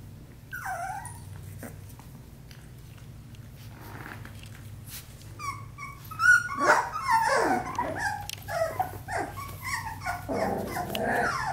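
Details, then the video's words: Australian Labradoodle puppies, four weeks old, at play indoors: quiet for the first seconds, then bursts of high squeaky whines and yelps, short growling grunts and scuffling, mostly in the second half, over a steady low hum. "Ruby & Finn's Puppy Playtime @ 4 weeks old!"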